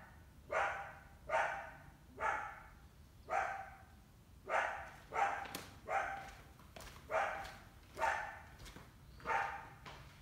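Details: Summer coyote, with a big pup, on the hunt for an indoor cat; a regular run of about twelve harsh barks, one every second or less, with faint clicks in the background.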